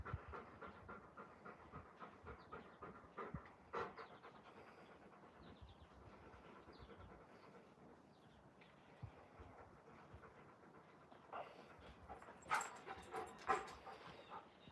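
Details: Raven, one of two Alaskan Malamutes named Moose and Raven, pants after playing outdoors: quick breathy puffs roughly once a second, irregular in spacing, with faint thin bird whistles and a few sharp knocks later on.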